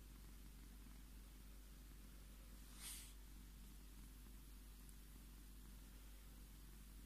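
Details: Tommy, a Scottish Fold tomcat, purring as he asks to be stroked: a soft, low, even rumble that runs the whole stretch, broken once by a brief rustle midway.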